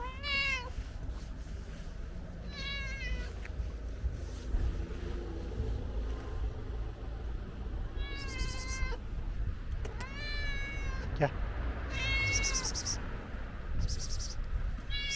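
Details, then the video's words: Friendly ginger stray cat asking for food, giving a run of loud, high rising-then-falling meows roughly every two seconds, some drawn out and wavering, over steady low traffic rumble and brief hissing noises. "Friendly Ginger Cat Is Asking For Food"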